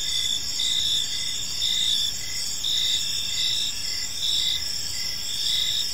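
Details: Crickets in a park at evening, producing a bright, high-pitched wall of sustained trilling with evenly spaced pulsed chirps about once per second, over soft low-frequency ambient noise.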